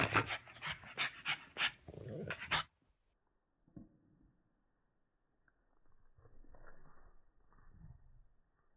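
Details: A female French Bulldog, excited over a new dress, gives rapid, harsh, breathy snorts and pants in an excited burst.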